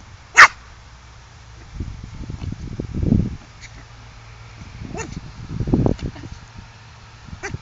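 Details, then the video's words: Tibetan Spaniel bitches, five females in heat at a kennel; one sharp, loud bark near the start, then low grumbling and snuffling noises with a few faint, thin whine-like squeaks. "Tibetan Spaniel - Bitches In Heat"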